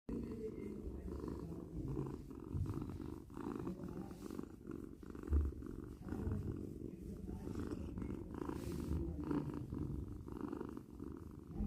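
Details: Domestic cat purring steadily: a low, continuous rumbling hum with a pulsing texture, soft rhythmic swells roughly every half second, close and quiet, no other clear sounds.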